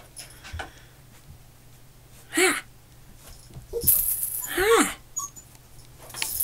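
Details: Male black and tan Shiba Inu puppy named Andre, recorded 18 August 2016, giving three short, thin, downward-sliding whines spaced a second or so apart, with rustling and faint indoor noise around them.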